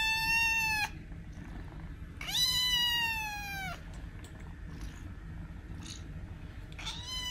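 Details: Meows of a kitten used to attract cats and make them react: a drawn-out harmonic meow at the start, another long one that slides slightly downward near 2.5 s, and a third beginning right at the end, with quiet background between.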